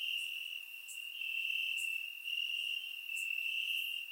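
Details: Bulgarian summer night with crickets chirping in the grass: one continuous shrill trill dominates, slightly pulsing in volume, while brief higher chirps pop in roughly every second; recorded with a surround microphone.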